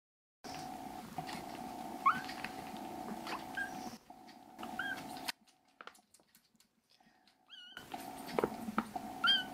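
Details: Rescued foster kittens indoors, three black brothers among them, give a few short high rising mews scattered across the stretch, separated by quiet gaps, over a steady low humming tonal background.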